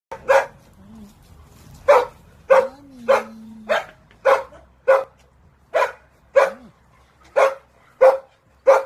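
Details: Dog barking in a steady series of sharp, broadband barks roughly every half second to second, with a few soft low whines between them.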